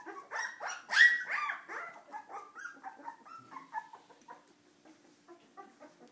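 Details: Cardigan Welsh Corgi puppies acting up: a burst of sharp high yips at the start, then a string of wavering whines that fade over several seconds.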